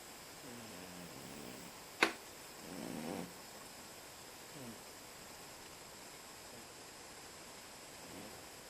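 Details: A sleeping pet cat snoring indoors, with low, rasping breaths that rise and fade near the start, then a louder breathy rasp a second later, interrupted by a single sharp click; quiet room hum underneath.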